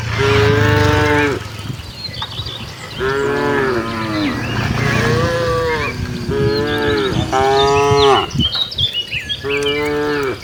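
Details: Village cattle herd heading to the barn in Indonesia, lowing repeatedly: five harmonic moos about a second or more each, some overlapping, with faint chirping and bird calls in the background.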